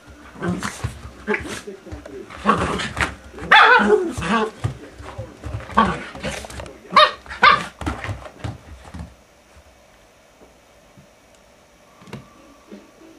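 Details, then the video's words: Pet Maltese, a mother with her puppy, bark rapidly for about nine seconds in a burst of high, yappy notes, then fall quiet apart from a single late yip. "Maltese Mom and puppy Dai"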